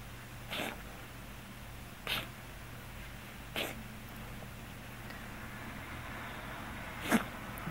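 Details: A Scottish Fold cat with hypertrophic cardiomyopathy gives short, abrupt, hiccup-like coughs, which it has had occasionally since diagnosis and frequently of late.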